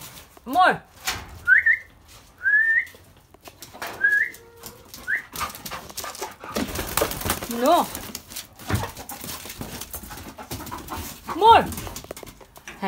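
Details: Labrador dog at home giving short high whines and yelps, some rising and falling sharply, scattered across the clip amid a person calling and coaxing it.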